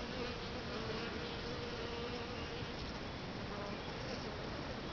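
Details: Bees gathering in a bait hive box prepared with sugar water and lemongrass oil two days before; a continuous rough buzzing mass with a thin wavering hum rising and falling throughout.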